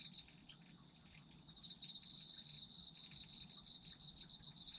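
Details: Autumn insects calling: a sustained high-pitched ringing note runs throughout while a pulsing trill joins after about one and a half seconds and then continues, with quiet low-frequency background noise.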